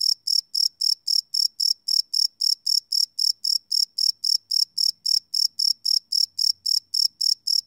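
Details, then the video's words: High, shrill cricket chirps at night, recorded live on a Sony PCM D100 field recorder: a continuous, even run of pulses about four per second, with no pauses and no other sounds. "Cricket Chirp Sound - Cricket Sounds at Night"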